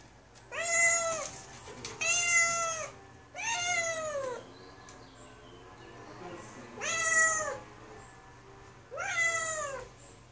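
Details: Tucker, a noisy kitten shut inside a small closed bathroom and wanting out, gives five loud drawn-out meows, each arching up then sliding down, spaced about two seconds apart, with a faint hum and quiet room sound between calls.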